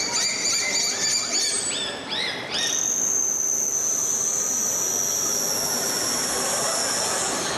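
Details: A bottlenose dolphin at a SeaWorld Orlando dolphin show in September 2023 gives a run of quick rising and falling whistles, then one long, steady, high squeal, vocalizations made through its blowhole.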